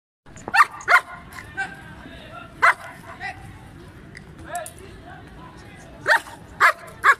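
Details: Double-coated male German Shepherd in Peshawar, Pakistan, offered for sale, giving sharp barks: a pair near the start, one alone, then three quick barks at the end, over a steady background hum.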